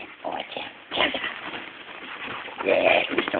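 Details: A little dog and a big dog play fighting indoors; rough, snarly growls and whiny vocal bursts come in short rushes, strongest near the end, over constant scuffling and movement noise.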